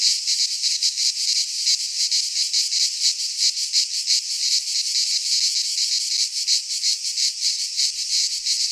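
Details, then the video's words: Cicadas singing in midsummer in a Greek pine forest: a dense, hissing buzz with fast rhythmic pulsing, about three pulses a second, steady throughout with no other sounds. "Cicadas singing in midsummer - Nature sounds from the Greek fauna - Sounds of cicadas"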